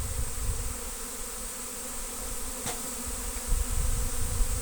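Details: Big incoming honey bee swarm in Destin, Good Friday 2025, loud enough to be mistaken for an airplane spooling up to take off; sustained, steady droning hum with low rumbling gusts and a single sharp click.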